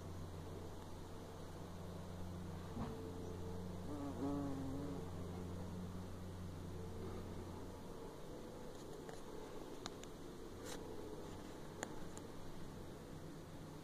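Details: Honey bees in Scotland: a steady, deep droning hum with layered overtones holds for about eight seconds and then fades. Scattered faint clicks and brief ticking sounds follow.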